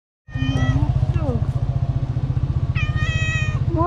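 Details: Hungry tuxedo cat with a black nose meowing loudly, asking for food. Short meows lead to one long, level, bright meow near the end. A steady low pulsing rumble runs underneath throughout, with a brief human voice.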